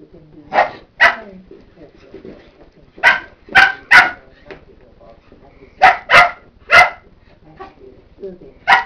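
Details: A nearly one-year-old Cocker Spaniel at play with feet and slippers barks in short, bright bursts, often in quick pairs. The clusters are separated by a few seconds of quiet, with faint background murmurs.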